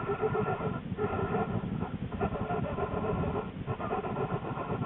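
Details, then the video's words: American black bear Lily inside her den in January 2013, not long before her two cubs were born. A continuous grainy, pulsing low rumble with sustained humming overtones dips briefly roughly every second or so. "Lily the Black Bear - Sounds from the den"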